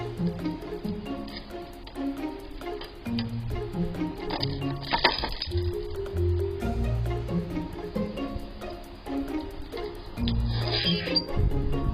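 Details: Plucked and bowed string music plays throughout, with no animal voice standing out.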